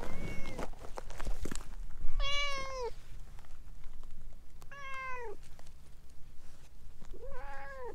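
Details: Chatty orange tabby stray winding around someone's legs meows three times in about eight seconds, each call drawn out and dropping at the end, with scuffing and low ambient hum between.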